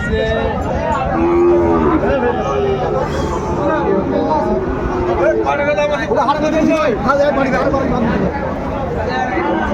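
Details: Sahiwal bull calves on sale at Ambari market, Dinajpur, Bangladesh, 21 March 2025: a mid-pitched, level moo about a second long near the start, faint bellows later, over constant crowd chatter and bargaining voices.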